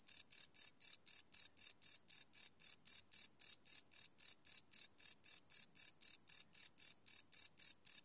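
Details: Crickets chirping at night, recorded live with a Sony PCM D100 field recorder, no loops: steady high-pitched chirps pulsing about four times a second, evenly spaced and unbroken, against an otherwise silent background.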